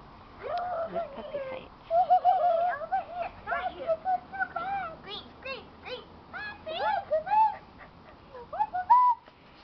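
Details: Keeshond puppies whimpering in a litter with their mother Gem; overlapping thin whistled whines and squeaks, some wavering, others rising sharply, nearly continuous over the clip.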